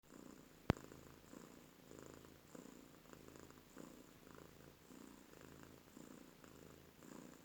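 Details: Heavily pregnant rescued stray cat snoring indoors, a soft low rumbling breath repeating steadily about every half second to second, with a faint constant hiss and one sharp click near the start.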